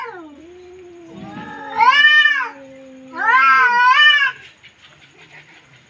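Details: Feuding cats: a low, drawn-out growl runs throughout while two loud, quavering yowls swell and fall, each about a second long, with softer rough hissing murmurs after.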